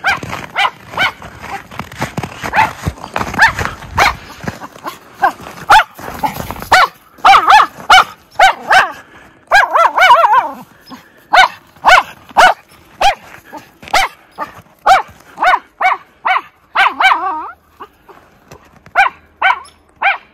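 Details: Miniature Schnauzer brothers playing outdoors in tunnels dug through deep snow, Aroostook County, Maine, January 22, 2023; a long run of loud, sharp barks repeats roughly every second, with rougher, denser barking near the start.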